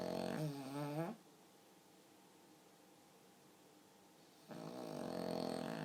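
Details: Pug asleep, snoring in a human-like way: a short harsh snore, a quiet gap of over three seconds, then another rough, rumbling snore begins.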